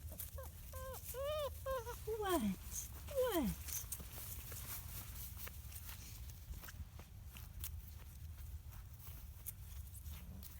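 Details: Five-week-old black British Labrador Retriever puppies from a litter of six whelped January 17, 2017, give quick high whimpering yelps, then a few sharply falling squeals, followed by soft clicks and rustling.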